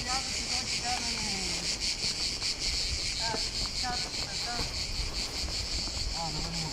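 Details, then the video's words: Cicadas at the Old Fortress of Corfu, Greece: a loud, continuous high buzzing drone with rapid pulsing throughout, while people talk in the background and wind rumbles against the microphone. "Cicada sound at Korfu Old Fortress"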